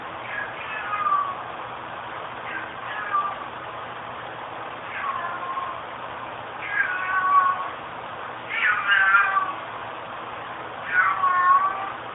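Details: Zoe, a pet cat missing her owner, meows repeatedly with drawn-out, falling wails, six calls spaced roughly every two seconds over a steady low background hum.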